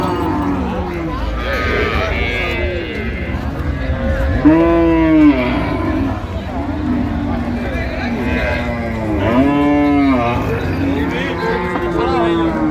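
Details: Cows and calves at the Ambari Hat market, Dinajpur, recorded 16 January 2026: two separate arching moos, each about a second long and rising then falling, roughly five seconds apart, over constant crowd talk and bargaining voices.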